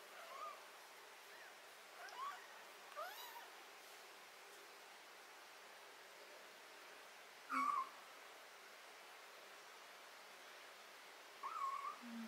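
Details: Cat being treated for botfly larvae, ringworm, fungus and skin blackheads mews softly several times, then gives two louder, arched meows near the end against constant background hiss.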